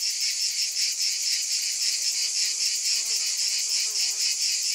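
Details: Cicadas in a steady high-pitched buzzing chorus, shimmering with a faint pulse, with a few soft lower chirps near the end and no other clear sounds.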